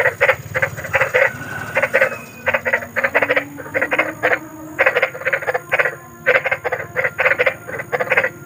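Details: Big frogs croaking outdoors at night, groups of quick grating notes in uneven runs separated by brief gaps, several animals overlapping.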